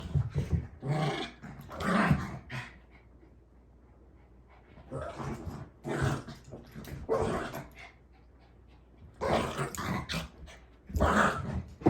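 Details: Mitzi, a pet dog, gives three rough, broadband bursts of barking and growling, each about two seconds long, separated by short quiet gaps.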